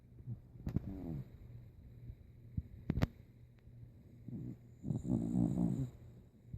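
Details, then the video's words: Sleeping old dog Rico snores: short rasping snorts early on, then a long, loud, throaty saw-like snore toward the end, low and gravelly with quiet pauses between breaths. "Sleepy snoring Rico"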